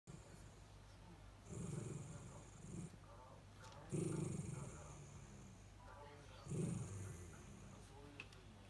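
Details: Two Miniature Dachshunds fuss for their owner in the next room to come back, giving low, phlegmy whine-growls in short bursts; they cannot whine through the nose and are not angry.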